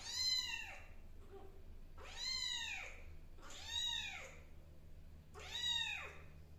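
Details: Kittens adjusting to an unfamiliar new home, four clear high meows spaced roughly every one to two seconds, each a bright arched cry that swells and fades, over a low steady hum.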